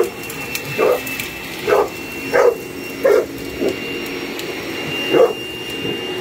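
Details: Barking Boerboel attacking a hoover: six clipped, mid-pitched barks spaced under a second apart, set against the continuous hum and whine of the vacuum cleaner.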